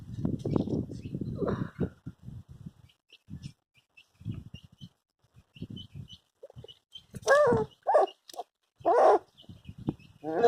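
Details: A Labrador Retriever puppy named Hash at its first bath. A person talks at first, then three loud, clipped, whining yelps follow about a second apart, with a final yelp cut off at the end.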